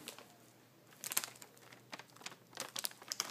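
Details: Quiet room with bursts of crinkling and rustling handling noise; no meow or other animal voice is heard.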